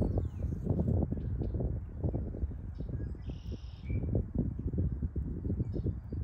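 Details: Spring 2023 honey bee hive at the Rothenbuhler Honey Bee Lab, Ohio State University, bees basking in the sun as foragers return from maples. A low fluttering hum with soft bumps, plus a bird's buzzy trill and chirps.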